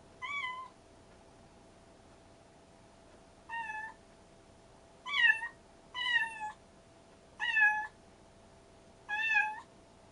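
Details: Rescued stray kitten siblings Mugi and Choco exchange six short, wavering meows, with one call, a long gap, then a quicker cluster of five over a faint steady hum.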